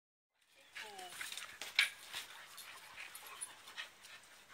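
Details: Two dogs, a 2-year-old malamute and a 10-year-old staffie, wrestling and playing in a backyard; a brief falling whine opens, then rough panting, huffs and scuffling bursts.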